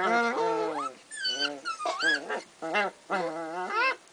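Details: Kooikerhondje puppies from one litter playing, two brothers having a squabble: a run of high whiny yelps, rising whimpers and short harmonic play-growls, several in a row with brief gaps.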